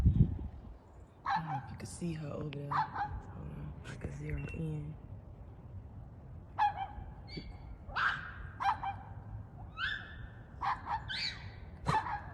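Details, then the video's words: A female pet dog screams instead of barking at the neighbour's dogs. A man talks over the first half, then comes a run of short, harsh, high screeching yelps with breaks between them. "Funny new sound from my dog!"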